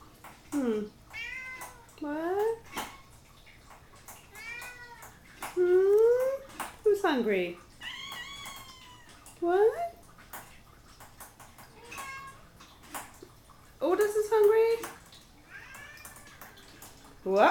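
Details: Three hungry pet cats indoors on a Saturday morning, waiting for breakfast; repeated loud meows, rising and falling, some long and drawn out, a few overlapping, with a man's voice asking what they want.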